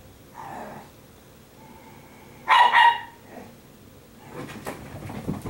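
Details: An Italian Greyhound, possibly Sparkle, indoors on laundry day: a soft whine, then two loud sharp yips close together, followed by rustling as a woman speaks about making her bed.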